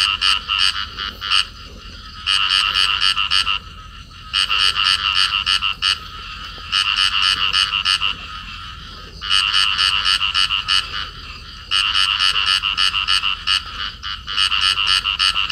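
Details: In Cầu Kè, Vietnam, a pair of field frogs in amplexus call, giving rapid, rattling bursts of high clicking croaks in trains of one to two seconds, repeated about every two seconds over a quiet background hum.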